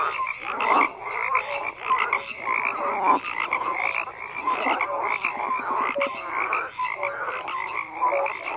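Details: Frogs croaking in a dense chorus, overlapping rough, rattling croaks in quick bursts with a few short tonal notes, steady and continuous throughout with no other sounds standing out.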